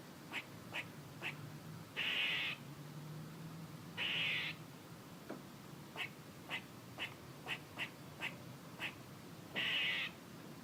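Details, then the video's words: Squirrel calling: sharp short chucks at uneven intervals, broken by three loud, harsh, buzzy bursts of about half a second each, with a faint low hum underneath. "A squirrel making noises"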